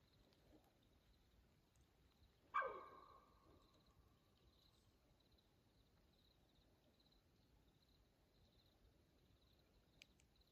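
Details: A mountain lion gives one loud, harsh call that fades quickly into a quiet night, recorded at 2:15 a.m. on June 7, 2024, on a forest trail in Coconino National Forest, Arizona.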